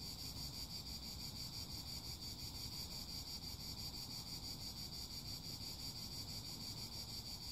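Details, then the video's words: Unbroken cicada chorus: a bright, pulsing high whine runs steadily throughout over a rough low-frequency rustle. "Song CHANT CIGALES - CICADAS"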